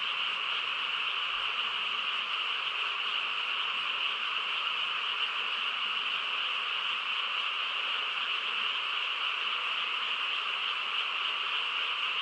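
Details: Countryside frogs at night in full chorus, countless voices blending into a constant high-pitched buzzing trill over a softer lower layer, unchanging from start to finish with nothing else distinct.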